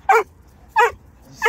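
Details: Dog recorded around a German shepherd and Presa Canario mother with puppies, giving three short, sharp barks at a steady pace about 0.7 seconds apart, low hum beneath.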